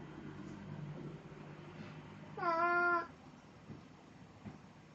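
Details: Cat named Plan, in Snow White cosplay on 1 April 2017, utters a single short, bright meow about half a second long, standing out against a quiet background of low steady hum.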